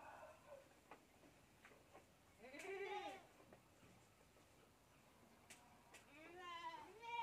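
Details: A bottle-fed goat kid bleats twice, a rounded wavering cry near the start and a longer, higher one near the end, with light background rustle and clicks between.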